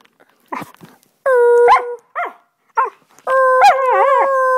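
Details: Husky singing at home on 25 November 2010 while someone makes sounds to encourage her: short yips and broken vocal bursts followed by sustained steady howls with wavering ends.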